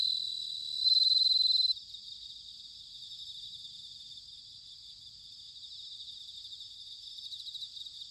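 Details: Autumn bell cricket song from Sanuki in Chiba, Japan: one loud, clear ringing trill lasting about a second, then only a softer, continuous high insect chorus in the background.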